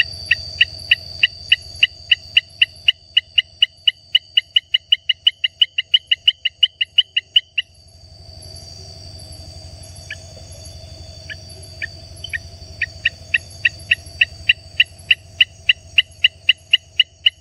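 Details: A Baramica frog (Hylarana baramica) gives a long series of short, sharp clicking notes over a steady insect drone.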